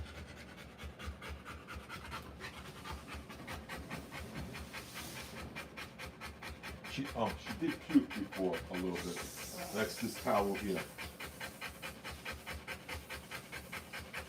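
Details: Rottweiler giving birth to puppies, panting in fast, steady breaths of about four per second throughout, with a stretch of human speech in the middle.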